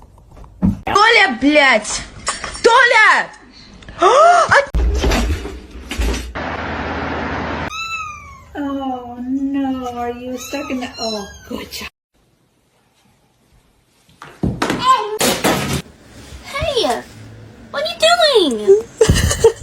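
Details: Domestic cats in a funny compilation, several short harmonic meows with rising and falling pitch, mixed with speech-like chatter, a sustained wavering call in the middle, then a brief silence before more meows.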